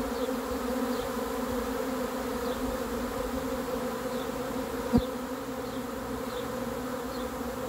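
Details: Honey bees swarming in: a continuous, level droning buzz of many insects, unchanging in pitch. A sudden thump about five seconds in; soft high chirps repeat faintly behind the drone.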